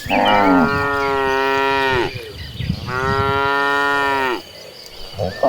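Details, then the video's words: Two sustained bovine moos, each about two seconds, rich and nasal with a falling tail, from cattle moving as a herd to green grassland; a brief quiet stretch follows. "suara sapi lembu moo"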